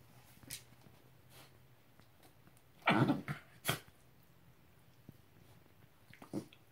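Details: Basenji, one of two playing with a llama indoors: a short, harsh, rasping growl burst near the middle, followed moments later by a brief huffing snort, with faint scuffling and clicks around it in a quiet room.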